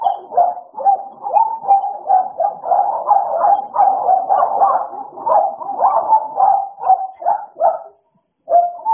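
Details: American Bullies Idol and Alice playing together, giving a nearly unbroken stream of rough, mid-pitched growling barks with quick rhythmic bursts, ending in a brief pause and one last bark.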